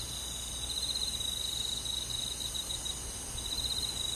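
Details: Cricket chirping on a summer night, with forest insects around: rapid pulsed high trills running in short bursts with brief gaps, over a steady shimmer of more distant insects.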